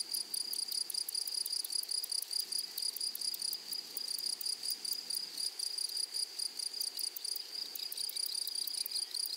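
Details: Grasshoppers singing in a flowery meadow: a steady, high, shimmering insect buzz with a fine pulsing texture, many callers overlapping into one continuous chorus with no other clear sounds.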